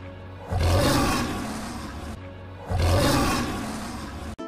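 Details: Lion, called king of the jungle, played in a children's lesson on wild animals: two deep, rough roars, each swelling then slowly fading over about two seconds, with a steady low musical tone underneath and a short click at the end.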